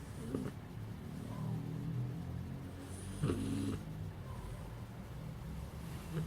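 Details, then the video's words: Puppy snoring in its sleep: a low, rumbling, continuous breath sound, with a brief brighter rasp near the middle and a steady quiet hum underneath. "Divertido perro bebé roncando"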